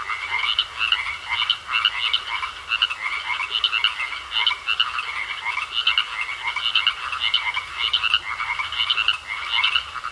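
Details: Steady pond chorus of frogs, rapid grating croaks pulsing in close succession, many callers layered into a continuous rhythmic rattle with a faint hiss behind.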